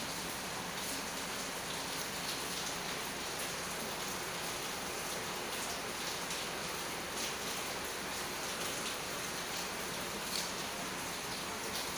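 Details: Steady broadband hiss like rain falling on a surface, with no animal voices heard.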